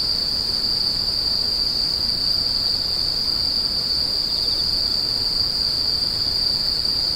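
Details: Insects screeching on a one-hour sleep and tinnitus-relief recording: a steady, unbroken high-pitched ringing trill holds one pitch throughout, with a fainter band above it and no other clear sounds.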